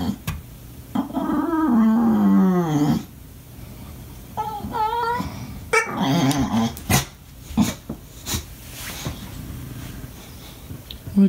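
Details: English Bulldog pup throwing a fit when not played with, indoors: long wavering whines and moaning cries rising and falling, then short yips and squeaky whimpers, with growly low tones in a small room.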